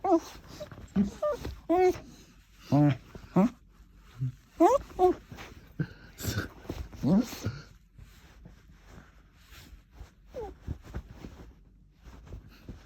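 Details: Aussiedoodle dog making funny noises: a series of short, high, rising and falling whines and yelps, some sliding upward, scattered through the first half with quieter murmurs and room sounds after.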